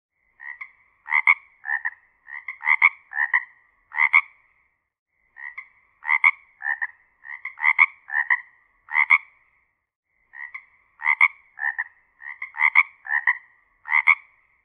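A frog gives bursts of short, rasping, mid-pitched croaks, each burst several notes long.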